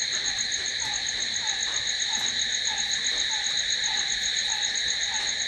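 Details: Crickets calling at night: a dense, steady high-pitched shrilling in several layered bands with no pause, while a softer, lower note repeats about four times a second underneath.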